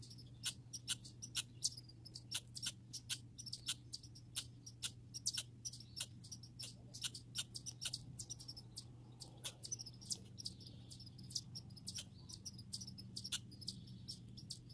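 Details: Grey and red squirrels in a backyard setting: rapid, high-pitched squeaks and chirps tick along in dense, uneven bursts throughout, over a steady low electrical hum.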